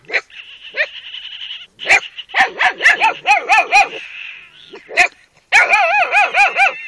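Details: Carpathian Shepherd Dog puppies, a Romanian breed, giving high, wavering whines and sharp yips in quick overlapping bursts. Some whines are drawn out and warbling. A short silent gap breaks the run before the chorus resumes.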